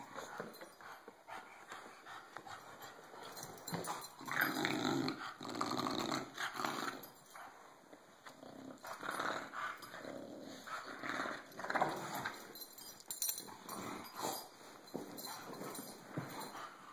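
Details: Cisco, a bulldog who has had enough of being bullied, growls and grumbles in rapid rough bursts that swell loudly around the middle and again later, with snorting breaths between, filmed indoors on an Android phone.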